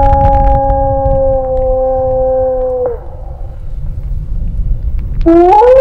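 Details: Gray wolf howling during a survey that provokes howls to study wolf populations. A long, level, pure howl ends abruptly at three seconds, followed by rumbling background noise, then a new howl rises steeply near the end.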